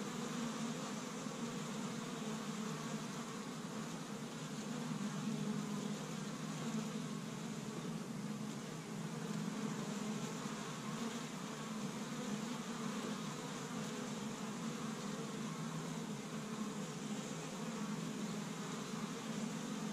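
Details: Honey bees swarming busily around their established hive on Michigan's first warm spring day, gathering pollen from tree buds; a long, even, low-pitched hum of countless wingbeats that swells gently and holds steady.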